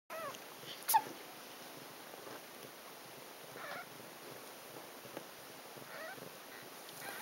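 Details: Six-day-old Ragdoll kittens at feeding time in a cattery near Poitiers, France, born 11 July 2012; faint, short squeaky mews come every couple of seconds over soft rustling and a quiet room hiss.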